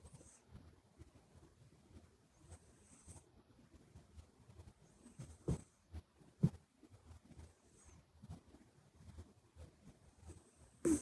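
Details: Buri, a flat-faced short-legged Minuet kitten, asleep at home, nose whistling softly with each breath: faint hissy whistles recurring every two to three seconds over low breathy rumbles, with a few soft knocks in a quiet room.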